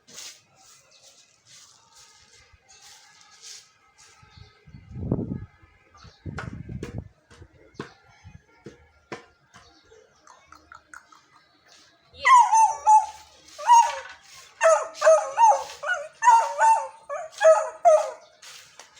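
A Beagle puppy gives a string of high, wavering howls that slide downward, after a few soft thumps.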